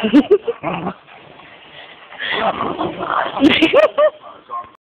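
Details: Puggle making funny noises toward another dog indoors: high, wavering whines and short yips, some bent upward, in uneven bursts with quieter breathy stretches between.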